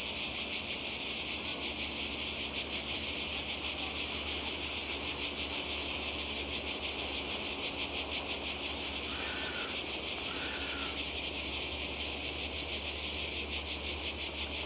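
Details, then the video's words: Cicadas in summer beside the sea in Croatia, a constant high buzzing chorus throughout, with two brief faint chirps from another animal near the middle. "Kroatien Zikaden und Meer"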